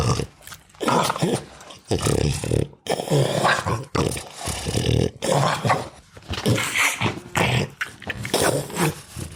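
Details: Sleeping, deeply relaxed dog snoring loudly, with grunts and snorts; harsh, rasping bursts come in quick breathing cycles separated by brief silent gaps, loud throughout and rich in low rumble.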